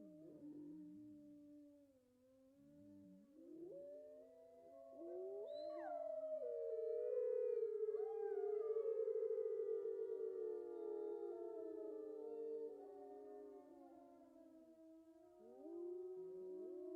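Grey wolves join in a pack howl, heard up close. Drawn-out, mournful tones rise and fall, with several voices layering and weaving over one another into a wavering chorus.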